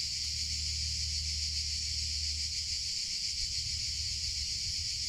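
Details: Many cicadas singing in summer, forming a constant high-pitched sizzling buzz at even volume, accompanied by a low background rumble that fades midway.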